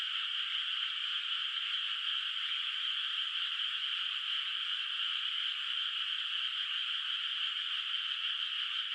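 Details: Many frogs in a moonlit countryside rice field at night, still bare of rice, heard from a distance; an unvarying, densely layered trilling chorus runs continuously with no pauses or other sounds.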